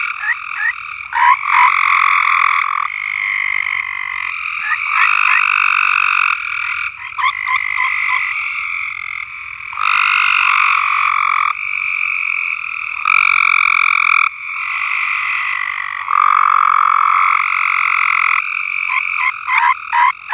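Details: Farm frogs in full chorus, overlapping loud trills in blocks of one to three seconds, interspersed with rapid clicky croaks, the volume rising and falling throughout.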